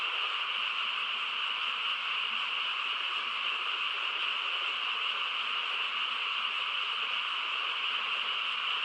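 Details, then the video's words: Many frogs call together on a quiet countryside night, merging into a dense, unbroken high trilling wash that holds steady and even throughout, with no breaks or other clear sounds. "고요한 시골 밤에 개구리 합창 소리"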